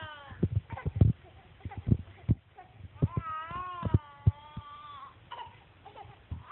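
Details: A cat named Reily lets out a drawn-out, wavering tonal cry of about two seconds that rises, dips and trails off, preceded by a run of sharp knocks and taps and followed by fainter, shorter cries.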